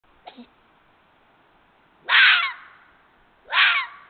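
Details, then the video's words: Red fox vixen (Vulpes vulpes) whimpering, recorded 31 January 2022: after a faint short click, two harsh, raspy bursts about a second and a half apart, each starting sharply and trailing off, in an otherwise quiet setting. "Odgłos lisa. Jak robi lis. Skolenie liszki. Fox sound. Vulpes Vulpes."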